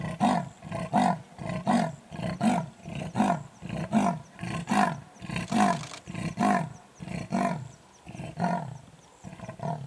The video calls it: The sound of a leopard - Photowildsa